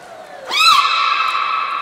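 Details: At Port of Nagoya Public Aquarium on 1 December 2019, during training of the captive belugas Hodoi, Gray and Mirai: a single bright call that swoops up, then holds a long, even, richly harmonic tone.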